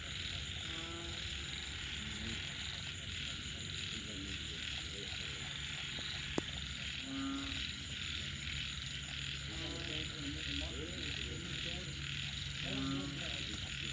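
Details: Frogs heard at night following rain, giving scattered short croaks and bursts of fast ratcheting pulses every few seconds, with a loud, unbroken high buzzing chorus and a faint low rumble behind them.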